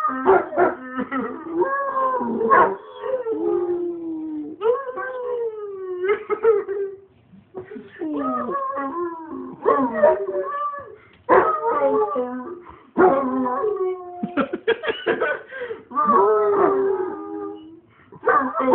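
A Basset Hound howls in long, wavering, rich-toned bursts broken by short yelps.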